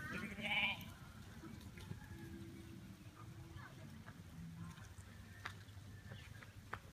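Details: Sheep running after a person, one sharp loud bleat at the very start, then quieter low sounds, rustling and steady background rumble.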